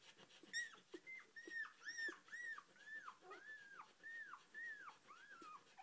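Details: Four-day-old Australian Shepherd puppy named Oscar, from a Sojo x Hustle litter, squeaking while being petted: a steady run of high, arched whistly squeals, each rising then falling, about two per second, with faint rustling.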